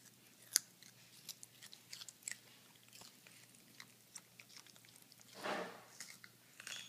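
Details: Pet toy poodles eating carrots indoors, giving sharp, irregular crunching clicks scattered through a quiet room, with one longer, louder grinding crunch near the end.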